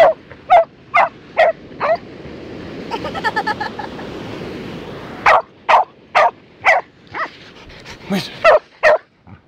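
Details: Dog on a beach at Busselton, playing a digging game, gives short sharp barks in quick bursts of about two per second, with a pause and softer rapid yips midway, over a steady background wash.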